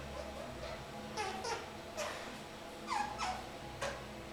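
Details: Pet kakariki, three months old, sitting indoors in a shower: several short squeaky calls that slide steeply downward from very high pitch, in loose irregular bursts with pauses between them.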